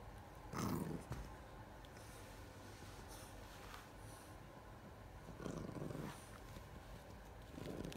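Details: Iris the Bulldog being silly indoors, giving rough low growling grumbles in short bursts near the start and again around five and a half seconds and at the end, with quiet gaps between.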